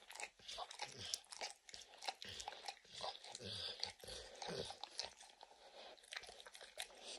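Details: Dog licking peanut butter and chewing kibble from an orange mat: louder, bursty slurps and crunchy chomps in uneven clusters, some short pauses between licks.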